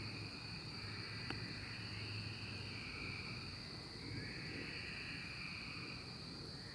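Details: Massed cicadas from the 2024 emergence, an unbroken high whine over drawn-out, swelling lower buzzes that surge and fade every few seconds, with a faint rumble beneath.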